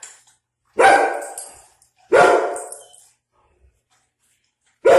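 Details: Indoor German Shepherd and Pitbull reacting to seeing a dog outside, the shepherd territorial: two deep, sharp barks about a second and a half apart, each trailing off, then a third starting; a person asks who's out there.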